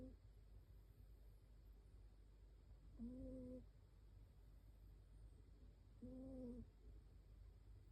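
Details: Sleeping Shiba Inu snoring; soft, steady tonal whistle of about half a second comes every three seconds with each breath, over a quiet constant hiss.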